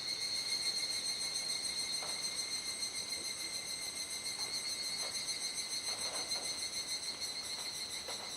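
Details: Dusk cicada chorus in Kuji, Iwate Prefecture, Japan, recorded 17 July 2017 between 19:11 and 19:25 during the rainy season. A continuous shrill buzzing drone holds steady with faint, gentle pulsing throughout.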